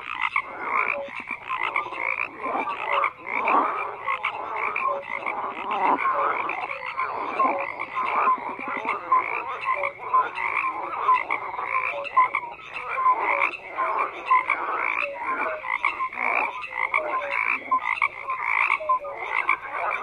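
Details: Continuous frog chorus, many croaking callers overlapping in pulsed, raspy bursts with scattered short tonal notes, steady in intensity.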